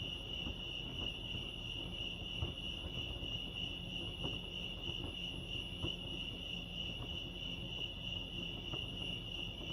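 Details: Crickets chirping at Lake Arrowhead, California: a steady, high, continuous trill holds one pitch throughout, over a low rumbling background hum with faint scattered clicks.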